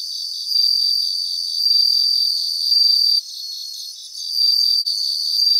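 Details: Bell crickets singing in grassland, with sustained high, sweet ringing phrases swelling and fading, a brief lull at mid-clip, and a faint pulsing chorus of other insects throughout.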